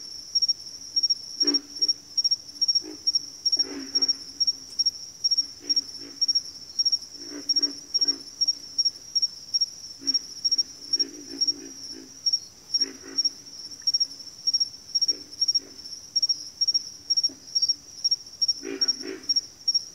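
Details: Frog chorus in a backwater: low, rough grunting calls in irregular bursts, several overlapping at times, set against a continuous high, rapidly pulsing trill throughout.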